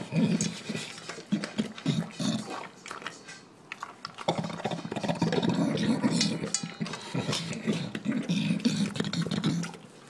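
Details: A male English Bulldog gulps down his dinner, eating noisily with loud snorts, wet chomping and snuffling gulps.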